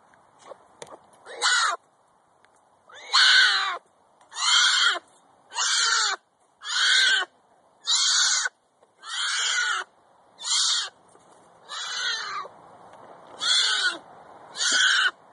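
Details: A Florida black bear cub gives a distress call, bawling in harsh, raspy squalls about one every second and a half, crying out to its mother for protection when it feels threatened.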